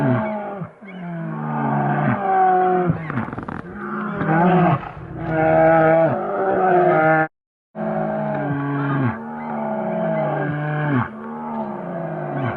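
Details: Vocalizing Asian black bear, giving a run of harsh, throaty moans that fall in pitch at the end of each cry. The calls come almost continuously, broken by one short silence midway.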